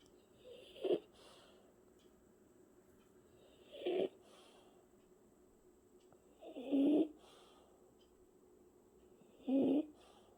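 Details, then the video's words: French Bulldog Martin snoring while asleep: short raspy, nasal snorts about every three seconds, four in total, with a faint steady hiss underneath. "강아지 코골이"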